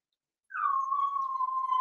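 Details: Seven-week-old Cavalier King Charles Spaniel puppy in an indoor home puppy pen gives one long, steady whine that starts with a brief higher slur, then holds level and thin for over a second without a break.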